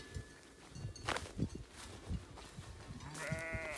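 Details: Merino sheep on a farm in Turkey: thuds and shuffling from the pen, then near the end a short, bright, wavering bleat from one animal.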